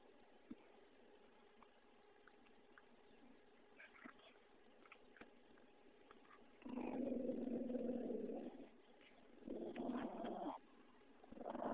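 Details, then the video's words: Pug named Vinny, indoors, playful and being funny; after a quiet stretch with faint clicks, two low rough growling bursts, the first about two seconds long and the second about one second. "MY PUG VINNY"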